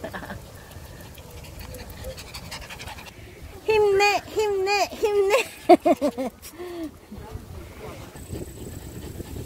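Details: Shih Tzu outdoors at Haneul Park; a run of high, wavering whines and yelps repeated in quick succession for about three seconds, amid a person's voice, wind and outdoor background noise.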